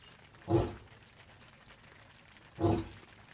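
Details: Lion in the Maasai Mara's Naboisho Conservancy, Kenya, during rainy late evening, a male heading off while roaring with his pride: two short, deep, breathy grunts two seconds apart against quiet background.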